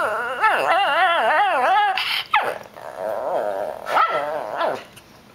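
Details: Female Shih Tzu that grumbles in a sing-song way instead of barking: a wavering, yodel-like moan rising and falling several times over two seconds, a brief squeak, then softer warbling moans and a final rising whine.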